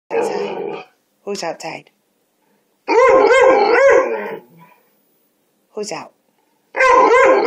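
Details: Pet dog in a home yard, alerting its owner to a neighborhood cat: rough, throaty growling barks in short bouts with gaps between them, and a person's voice saying there is a kitty out there.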